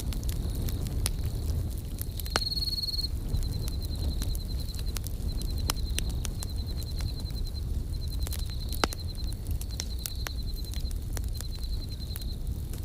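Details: Crickets chirping beside a crackling campfire at night, in high, steady pulsed trills that come in bursts of about a second with short gaps. The fire's sharp pops and low crackling rumble sit beneath them throughout.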